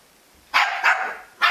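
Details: Jack Russell Terrier producing a quick pair of loud barks followed by a third bark at the end.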